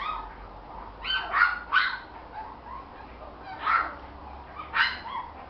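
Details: Male Jack Russell Terrier puppy, six weeks old, in Mexico City, giving short, high, yelping barks: a quick pair, then single sharp yips spaced about a second apart, five in all over a quiet background.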